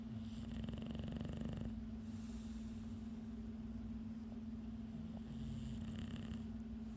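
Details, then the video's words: An English Bulldog, struggling to stay awake after a hard day, snores with low, rough, rumbling breaths over a steady hum. "English bulldog snoring trying to stay awake"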